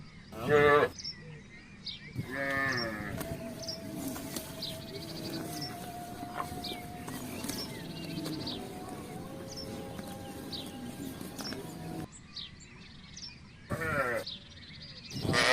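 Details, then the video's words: Herd of village cattle walking through a housing area looking for grass and water; short harmonic moos open and close the stretch, with a long, steady tonal drone and scattered bird chirps in between. "suara sapi - cow"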